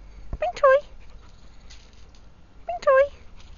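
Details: Springer Spaniel at play at a dog boarding kennel in Derbyshire: two short, high whining yelps about two seconds apart, each sliding down in pitch, against a quiet background.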